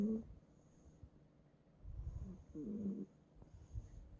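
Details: A house cat named Bongbong sleeps on a bed and snores, giving a short rough rasp, then a low breathy rumble and a longer grating snort, against a quiet room hum.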